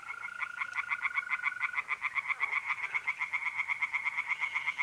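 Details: Tree frogs singing by night in an April pond in north-east Italy. Loud pulsed croaks repeat about four times per second throughout, and a mole cricket's steady trill runs beneath the first two seconds.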